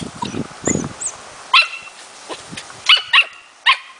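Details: Four-month-old Smooth Fox Terrier puppy during playful hunting training, showing its innate hunting instinct. After soft rustling and shuffling, it gives four sharp, high barks: one alone, then a quick pair, then a final bark.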